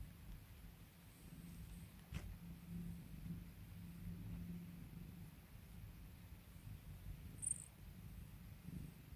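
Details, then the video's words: Domestic cat purring steadily while being calmed and spoiled by its owner: a continuous low rumbling throb across the whole recording, with a brief click near two seconds and a faint high tick later on, otherwise quiet. "CAT PURRS [ASMR] CALMING MY CAT. SPOIL MY CAT."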